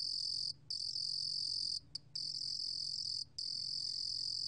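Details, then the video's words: Korean 루루곰귀뚜라미 cricket, 2020: a steady shrill trill interrupted by three short gaps, one a quick double break, otherwise continuous and strong. "루루곰귀뚜라미, 여러번 듣기, 곤충소리"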